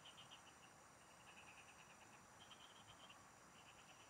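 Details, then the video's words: A short stretch of frogs singing in the fields during fishing: rhythmic ticking pulse trains, one caller following another, over a steady ringing insect background. "Pikinggan mo Ang MGA huni Ng MGA Palaka SA bukid| Relaxing Frog Singing"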